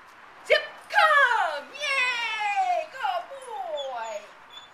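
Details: Zip, an active young dog up for adoption in Santa Cruz, California, April 2017, gives long whining cries that slide downward in pitch, three drawn-out wails in a few seconds, with a brief voice nearby.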